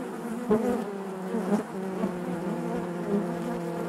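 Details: Close, steady buzzing of honey bees in the hive, a loud continuous hum with clear harmonic layers and small pulses roughly every second as bees shift about.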